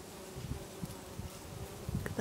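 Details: Bee buzzing at lavender in a Brittany garden in August, the low even hum running beneath repeated soft rustling thumps from nearby movement.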